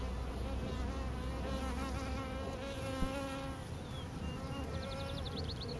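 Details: Bees swarming on a pine tree make a dense, continuous droning buzz with layered wavering hums, and a few thin, high, rapid ticking notes near the end.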